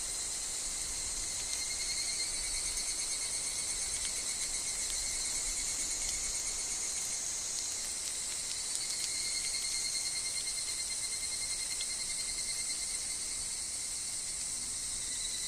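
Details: Evening cicada (higurashi) chorus in woodland with wind and falling leaves: a sustained sharp high whine in stacked bands, briefly dipping near eight seconds before resuming, with scattered faint ticking sounds.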